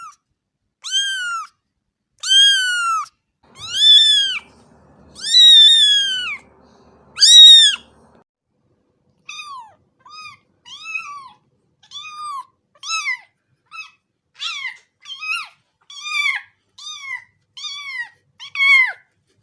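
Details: Cat calling insistently: five long, loud, drawn-out meows at first, then a quicker series of shorter, thinner meows, with faint handling noise early on.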